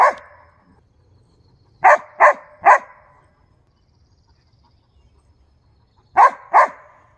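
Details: Husky and briard dogs at home, sharp barks in short bursts: one at the start, a run of three close together near two seconds, then a double bark near six seconds, with silence between.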